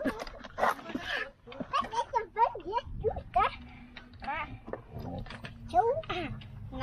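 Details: Siberian Husky puppy, stuck, giving rapid wavering whines and yelps in bursts that rise and fall in pitch, repeated many times across several seconds, with a person speaking French nearby.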